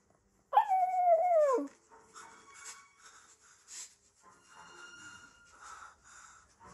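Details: A German Shepherd howls along to a played Zootopia clip of a German shepherd howling with wolves: a strong howl starting high and falling over about a second, with softer, wavering howls from the clip behind.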